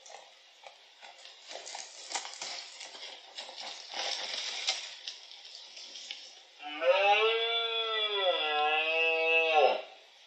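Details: Twelve-point red deer stag bellowing at the peak of the October 2023 rut in Iberia, at Cerro Escribano and La Tinajilla, Refugio de Fauna Chico Mendes; after about six seconds of rustling background noise comes a loud, hoarse, harmonic roar lasting roughly three seconds, dipping slightly in pitch.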